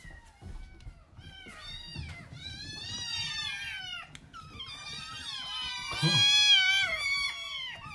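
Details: Rescued kittens in a small indoor room, about 26 days into care, chattering while eating dry kibble, one talkative tabby-and-white kitten setting off the others; overlapping high, wavering meows with rising and falling tones, growing louder toward the end.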